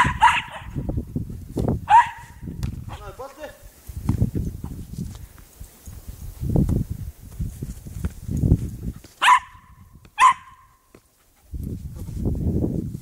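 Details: Snoopy, a pet Cairn Terrier, barks during football play: a few sharp yapping barks spaced irregularly, mixed with scuffling, thuds and low rumbling movement noise, then a brief quiet gap.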